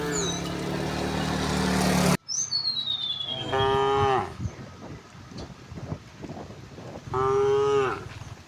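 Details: Tame village cows mooing as they are herded home to the pen in the afternoon; a burst of rushing noise, then two firm harmonic moos spaced about four seconds apart, with a falling bird whistle and scuffing sounds.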